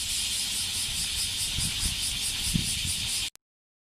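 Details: Bear cicada, male, sounding from a tree in a Kansai park in Japan; loud pulsing high buzz that cuts off abruptly near the end, followed by a brief click and silence, with faint low thuds beneath.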